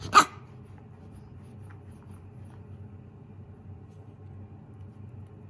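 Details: Young Shiba Inu Koro, a mame shiba, scared yet still threatening a lint roller indoors: one abrupt, loud bark at the very start, then only a quiet room hum.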